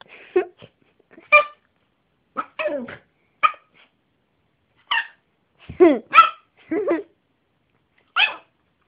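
Small-dog barking from a Yorkshire terrier: quick, yappy, high-pitched barks, some single and some in tight pairs. Between the bursts come brief pauses, and some barks slide into whiny, strained tones.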